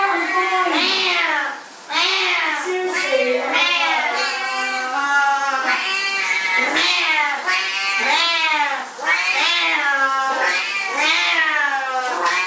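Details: Siamese cats at shower time, meowing almost without pause: loud, wailing calls that rise and then fall in pitch, several voices overlapping, with one brief break near the start.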